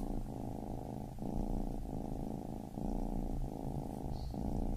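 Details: Purring of a baby kitten: a close, low buzzing rumble pulsing in strokes just under a second long, with clear brief breaks between inhale and exhale and no other sounds.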